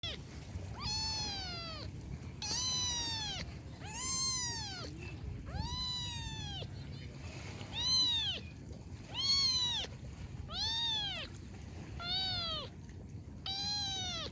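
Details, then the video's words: Kitten meowing insistently, about eight loud, high, drawn-out meows in fourteen seconds, each one bending down at the end, with a soft low rumble of background noise. "Kitten sound effect"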